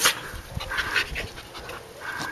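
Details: In a Guam yard, Eve, a rescued female dog of unknown breed, faces a coconut crab. Rhythmic, airy panting puffs repeat over a couple of seconds while a person scolds her with a firm 'hey, no'.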